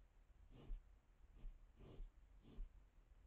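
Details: A wild boar, caught at night by a camera trap at a water source in the Valles del Cerrato in September 2022, gives four low, breathy snorts roughly every two-thirds of a second over a faint steady hiss.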